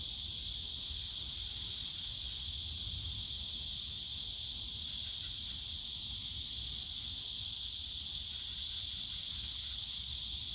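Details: Summer cicada chorus in the bamboo forest of Yongsan Family Park, a loud continuous shrill hiss that never pauses or changes pitch, over a soft low hum of distant background noise.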